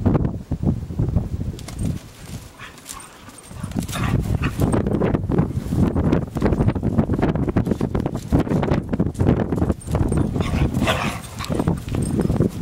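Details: A Weimaraner and a collie romping roughly in snow on their first outing in it; dense, low, rumbling growls and scuffling bursts run almost continuously, with brief pauses and thuds of paws in snow.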